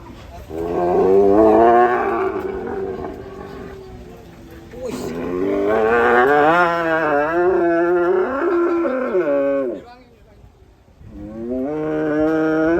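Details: Raging cattle bellowing in three long, harmonic-rich moos, the middle one wavering and lasting about four seconds, with brief quiet gaps between the calls.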